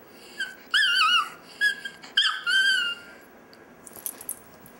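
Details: Pet chihuahua Dexter 'singing' indoors with short wavering yelps and whines, then a longer falling whine, followed by faint scattered clicks and rustles.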